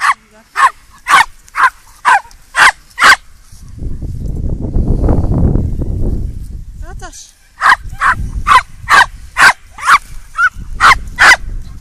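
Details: Young Welsh Terrier, eight months old, in a sudden fearful episode, perhaps caused by pain, barking frantically: a run of rapid sharp barks, a loud low rumbling noise midway, then another fast burst of barks.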